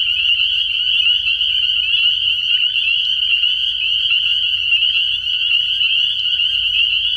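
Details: Early-year frog pond at night filled with spring peepers, their overlapping shrill peeping merging into one continuous high-pitched ring throughout, with a faint low rumble beneath.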